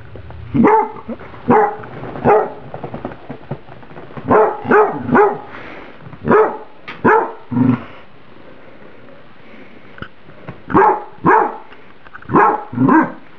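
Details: Pet dog named Emily barking at a bowl of microwaved spaghetti that is too hot to eat; sharp, mid-pitched barks, often in quick pairs, come in bursts with short pauses, and no other sounds intrude.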